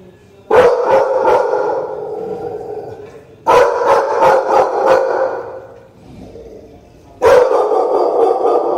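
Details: Pair of American Pit Bull Terriers giving three loud bouts of rapid, rough barking roughly every three and a half seconds, each bout fading into lower rumbling before the next begins.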